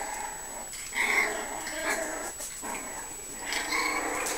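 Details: Young Puggle puppies, five weeks old, produce drawn-out nasal whines and soft moaning cries in several bursts, with low room noise behind.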